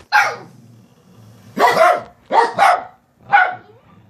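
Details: Dogs barking at mom to make her get up, four loud, rough barks, the middle pair doubled, spaced about a second apart over a low hum.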